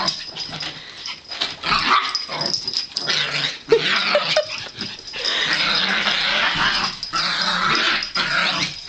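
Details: Several Yorkshire Terriers, all female, playing together indoors: continuous rough growling and snarling with bursts of yips and scuffling, broken by short pauses.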